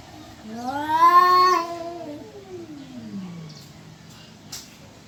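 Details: Cat caterwauling, either in mating mood or about to fight: a single long wail that rises, holds, then slowly sinks to a low moan over about three seconds, in a quiet setting.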